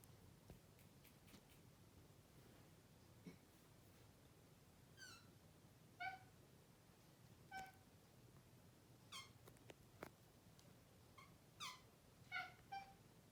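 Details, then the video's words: A chatty male Maine Coon cat chirps at his owners, telling them off, with short, bright chirps, singly or in quick pairs, every second or two. "What Does A Maine Coon Chirp Sound Like?"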